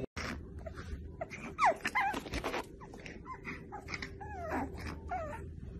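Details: Playing pug puppies give short, sharp whimpers and quick falling yelps among clattering and scuffling noises. A steady low hum sits in the background.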